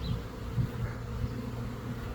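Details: A Western honey bee swarm of several thousand bees in the air, from a hive in an old hot-water heater core, gives a steady, deep, droning hum of countless wings beating together.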